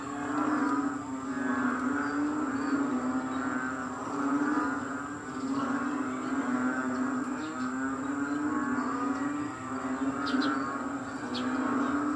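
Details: Frogs in Kadaruhan calling loudly in wet, rainy weather at dawn, 6 am, May 22, 2022. A thick massed chorus of deep croaks swells and dips in waves every few seconds, steady throughout.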